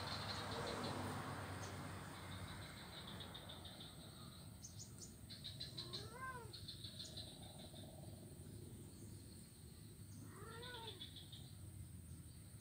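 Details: Blind kitten playing on an ironwood (ulin) bridge on Jalan Kolonel Sugiono, Kuala Kapuas, Central Kalimantan, Indonesia, recorded Monday 25 November 2019; two short high arched meows, rising then falling, about four seconds apart, over steady low rumble and faint high chirping.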